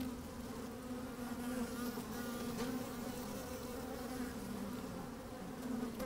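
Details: Working honey bees recorded with a microphone pushed down into an opened hive on a sunny day; even, sustained buzzing hum with steady tonal bands, a few faint clicks, little wind.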